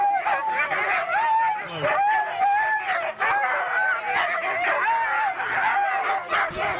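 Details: Group of Siberian huskies at a race in East Anglia giving drawn-out wavering howls and whines over a busy background of yips from many dogs and faint voices.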